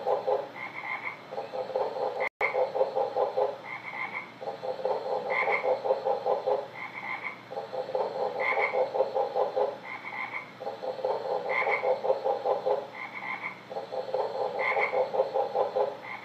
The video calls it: Frog sounds